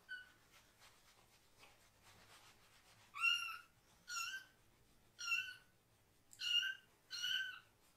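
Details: Foster kitten meowing loudly while having its lower body washed; after a few quiet seconds of faint rustling, five short high meows come roughly once a second, each bending down at the end.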